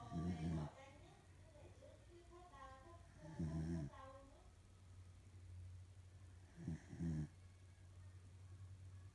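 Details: Sleeping female corgi snoring heavily, three rough, low, breathy bursts spaced roughly three seconds apart, with quiet talking voices audible between the snores in a small indoor room.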